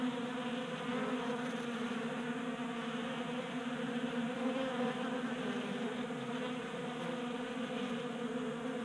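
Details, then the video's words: Many honey bees feasting at a tabletop feeder in a Colorado garage in January, active in unseasonal warmth; a dense, continuous droning hum of overlapping wingbeats with a hissy background. "45 Minutes of Honey Bees Feasting from 3D Printed Bee Feeder ASMR"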